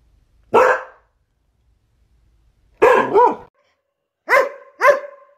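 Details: Border Collie giving four barks, the last two shorter and more tonal with a clear pitched ring, separated by quiet gaps.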